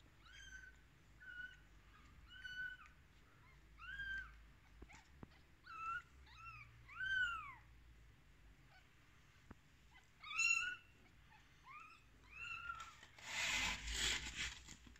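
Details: Day-13 rescued kittens keep up a run of small high mews, some rising then falling, roughly one each second, overlapping at times, with faint handling noise and a loud rustle toward the close.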